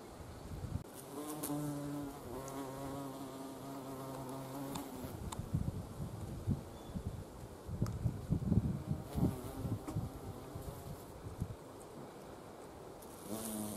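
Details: Carpenter bee flying around wisteria flowers gathering nectar, April to early May; strong steady low buzz for several seconds, then broken bursts of droning as it moves among the blooms, with gusty wind rumble.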